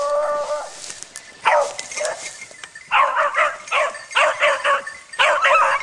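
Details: Dog training on wild boar: a whining, harmonic cry gives way to bursts of sharp, high barks in quick clusters, with short pauses between volleys over steady background noise.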